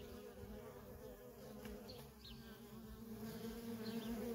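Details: Nonstop traffic of worker honey bees at a feral colony gives a continuous, slightly wavering drone that swells a little toward the end, with faint high ticks above.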